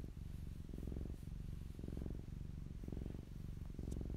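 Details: Fluffy domestic cat purring up close, a deep steady rumble pulsing in repeated breaths of about a second each, with a faint rustle near the end.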